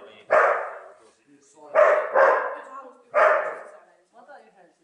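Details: Neo, a dog herding sheep for the first time, barks because he is annoyed by the stick, not at the sheep: four loud, harsh barks, two close together, with a short soft sound at the end.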